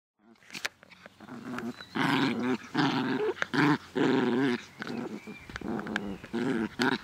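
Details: Playful dog Naja, in a cheerful mood in the garden in good weather on 17 May 2014, growls in a series of loud, rough, throaty bursts about one second apart, each a sustained rumbling snarl with sharp clicks between.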